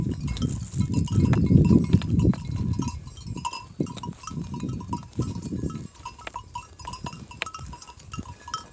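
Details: Kangal sheep from Kayseri, Turkey, calling in low, rough bleating bursts that come in irregular runs, loudest early on. A steady bell-like ring sounds repeatedly over the flock noise.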